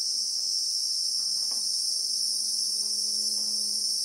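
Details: Christmas beetle (Anoplognathus) in South African bushveld with acacia trees, recorded in real time: a continuous, unbroken high-pitched shrill buzz holds steady throughout, while a faint low droning tonal note rises from the background near the end.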